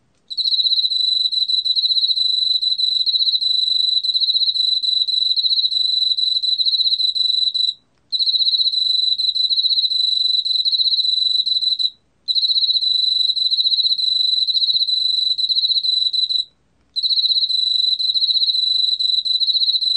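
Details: Long sequence of Emma field cricket singing, from the National Institute of Biological Resources, 2020: a continuous high, pulsing trill delivered in runs of four to eight seconds with brief gaps between.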